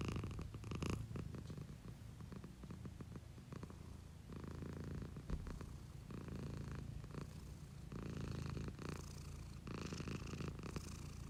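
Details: Pet cat purring close up, its owner recording: continuous low vibrating rumble with slow breathing-linked swells, brighter soft bursts around one second and again near eight to eleven seconds.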